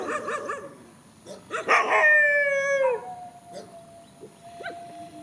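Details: Rural dogs confronting each other in a field: a few short yelps, then one sustained, strongly tonal howl lasting over a second before dropping in pitch at its end, followed by faint whimpers.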